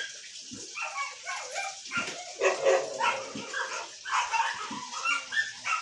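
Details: Arguing Siberian Husky delivers a continuous run of talkative whines and moaning yowls, rising and falling in pitch, with barely a pause for six seconds.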